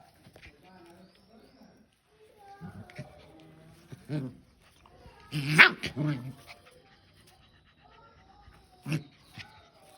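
A Rottweiler gives short, gruff barks and growly vocal bursts during play, with human voices nearby.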